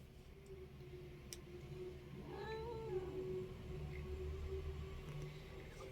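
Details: A pet cat indoors, growing uneasy during a game, gives a quiet drawn-out yowl with a rising then falling arched tone in the middle, over a steady low hum and room noise.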